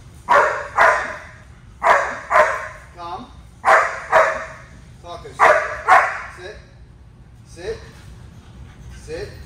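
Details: German Shepherd named as a dog in training that likes to jump, barking in pairs of sharp, loud barks roughly every two seconds, four pairs in all, followed by fainter whines and a trainer's voice.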